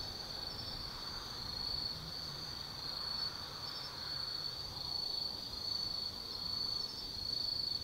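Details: Night chorus of autumn insects living in the Tsukimi no Mori forest in Kaizu, Gifu Prefecture, Japan; a continuous shrill trill with soft pulsing swells, plus a low distant hum underneath.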